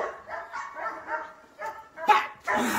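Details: Belgian Malinois named Kaus in off-leash obedience training: a run of soft, rhythmic yelping barks followed by a louder, harsher bark and a sustained noisy burst at the end.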